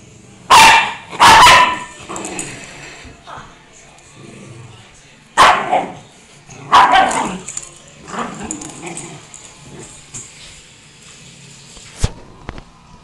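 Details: Dog barking with unusual, strained barks: two harsh bursts close together near the start, then further rough barks after a pause, with quieter grunting sounds and a few sharp clicks between them.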